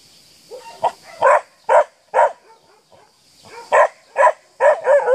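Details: A seven-month-old Akita gives deep, gruff barks at a horse in quick bursts, roughly two a second, with short pauses between runs.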